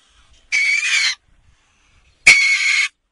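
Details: North American river otter giving two loud, harsh, high screams, each lasting a little over half a second, separated by a short pause, against an otherwise quiet background.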